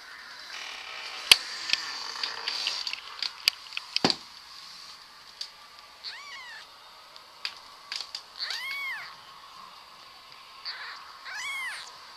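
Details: Domestic cat from a funny cat compilation, indoors, giving several arched, high meows around the eight- to twelve-second mark, each rising then falling, amid sharp clicks, thumps and a steady high hiss.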